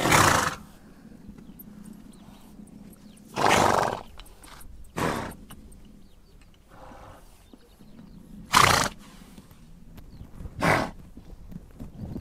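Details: Horses in Mongolia's steppe give five harsh, breathy bursts about half a second long, spaced irregularly two to three seconds apart, with a quiet low drone between them.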